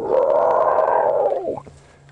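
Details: On a sunset safari drive on 23 August 2015, a distant feeding African elephant herd screams during an apparent altercation: one harmonic scream over a second long, steady then bending downward and breaking off, with a fainter catch.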